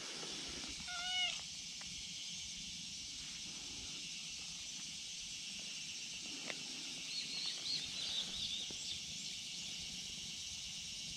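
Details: Brown tabby-and-white cat, apparently a stray, calls out from a risky spot on a steep slope and wants to be petted. One short, rising-falling meow comes near the start over a steady high insect drone. Faint rustles and knocks follow.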